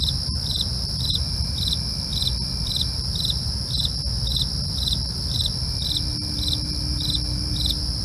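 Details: After dark, crickets keep up rhythmic high chirps near twice per second over a persistent ringing trill, with occasional faint clicks and a steady low background roar.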